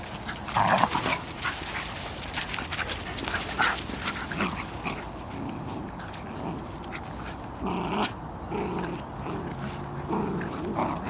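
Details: Outdoor walk of Leya, a Bedlington Terrier mother, with her puppies from the Airy Step kennel; scattered short yips and whimpers at irregular intervals, one near the start and others later, over steady rustling background noise.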